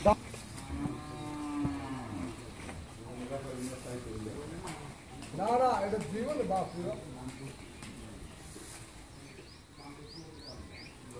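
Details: Friesian dairy cow on a farm in Pabna, Bangladesh, in her first lactation with a bull calf and giving 13–14 litres of milk; a low, drawn-out moo rises early, then people talk over farmyard noise.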